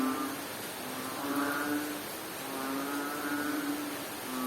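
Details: A frog in Bohol, Philippines, gives low, drawn-out moaning calls, each about a second long, over steady rain.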